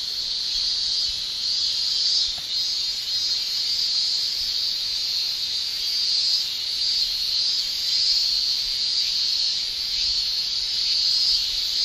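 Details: Male cicadas of Japan shrilling in summer with their tymbals; a loud, sustained high-pitched buzzing wall of sound with slight surges in intensity and one brief dip.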